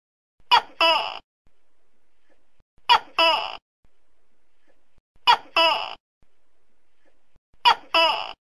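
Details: Four loud two-syllable calls from a tokay gecko, evenly spaced about every two and a half seconds: a clipped bark followed by a drawn-out, downward-sliding nasal note, with near silence between calls.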